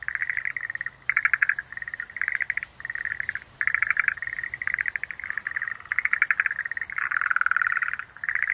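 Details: Chorus of Schlegel's green tree frogs: mid-pitched rattling pulse trains in quick succession, some louder and choppier, a few faint thin chirps overhead.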